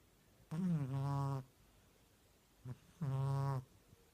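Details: Domestic cat snoring while asleep indoors: two rough, low harmonic-rich snores about two and a half seconds apart, with a short snuffle between them, against a quiet room.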